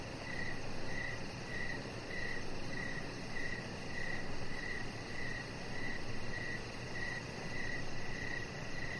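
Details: Crickets outdoors in the evening beside a decorated deck give regular mid-pitched chirps roughly every half second, backed by a thin, fast high pulsing and a gently swelling low rumble.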